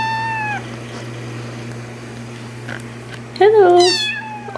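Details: Cat or kitten in an indoor setting: a short falling mew at the start, then after a pause a loud, harmonically rich meow that rises and falls in pitch, over a steady low electrical hum.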